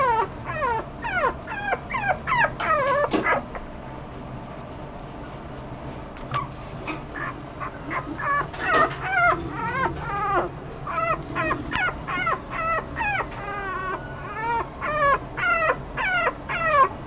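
A toy poodle puppy whimpers in high, thin, falling whines, repeated in quick uneven bursts.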